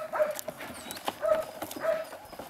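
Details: Four eight-week-old puppies of an H litter, two males and two females, at play; three short high yips with ringing overtones come at roughly even gaps, with light scuffling and clicks between them.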